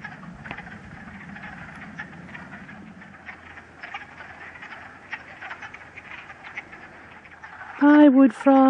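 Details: Chorus of wood frogs in a vernal pool at West Hill Park, Uxbridge, Massachusetts, on a sunny day in late March; faint, steady clucking croaks under a soft voice, ending with a brief loud harmonic sound.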